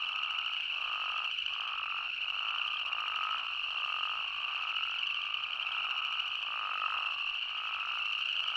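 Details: In Arizona, spadefoot toads call in a dense, steady chorus of nasal, droning trills that blend into one continuous sound.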